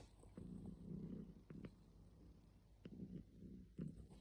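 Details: Domestic cat receiving a massage, giving a low, throaty rumbling purr in swelling bursts of about half a second, broken by soft clicks and handling noises.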